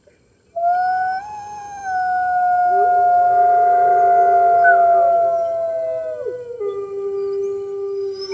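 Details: Captive red wolves at a New York wolf conservation center, early morning of March 15, 2013, howl in long, smooth, overlapping tones with the center's other wolves, one voice holding steady while others slide lower; webcam audio.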